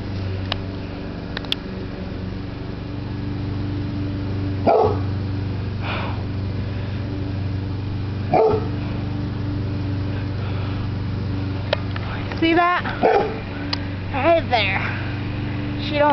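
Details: Dog barking at a hot air balloon in the sky, which she dislikes; a few sharp, harmonic barks at irregular intervals, the last ones clustered into a quick burst, over a steady low hum.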